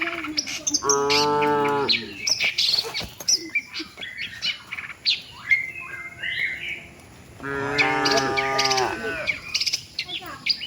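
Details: Cattle heading with the herd to their shed; two separate lowing moos, each about a second long, with a quieter gap between them filled by busy bird chirps and twitters.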